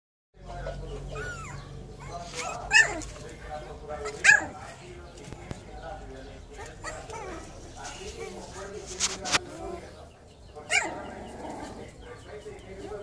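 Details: Two-week-old Chow Chow puppies give thin, squeaky whimpers and yelps while people talk nearby.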